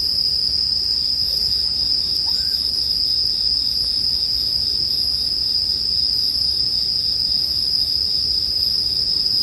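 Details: Bell crickets mixed with the sound of a bonfire: a continuous high-pitched ringing drone, unvarying from start to end, with faint scattered crackles and a gentle low rumble.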